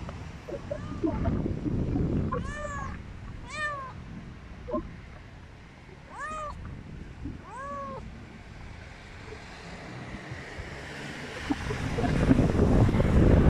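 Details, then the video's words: Istanbul street cats, Turkey, giving clear arched meows, about five in quick succession early on, some layered and harmonic-rich, then fading as low street rumble and passing noise swell. "İstanbul'un cana yakın kedileri."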